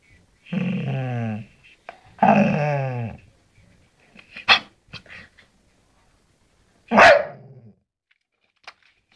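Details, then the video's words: Bull terrier talking back to its owner, telling how it is: two long groaning moans, then soft clicks and snuffles and a sharp short yelp-like burst near the end. "Beautiful Bull Terrier talking"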